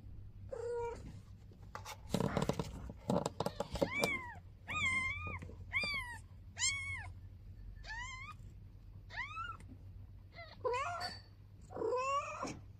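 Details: Mother cat with her newborn kitten on its first day; a long run of high, thin, arching meows, mostly evenly spaced about once a second, after a burst of scratchy handling noise near the start.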